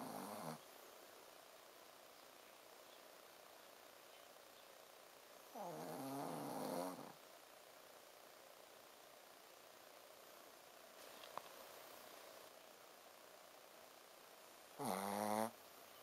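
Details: Soundly asleep Shih Tzu Ponzu gives low 'buu' snores, short rough harmonic bursts about every five to eight seconds. Faint breathing and a soft tap fill the pauses in a quiet room.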